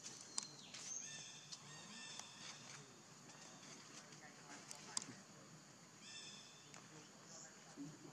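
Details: Baby monkey Leo, very hungry, begging its mother for milk: thin, high-pitched, harmonic cries come in short bursts near the start and again around six seconds, over a low murmur with scattered clicks.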